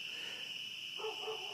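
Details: A dense chorus of spring peepers (Pseudacris crucifer) at night in coastal southern Maine, high piping peeps merging into a continuous shrill ring, measured about 70 dB against usual 45 dB, near deafening; dogs audible.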